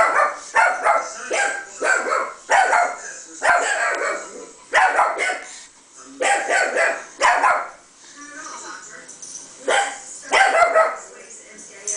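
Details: Chihuahua named Jazmin barking back at speakers playing a recording of her own barking, mistaking it for another dog; sharp yapping barks in bursts about once a second, some overlapping, with a voice between them.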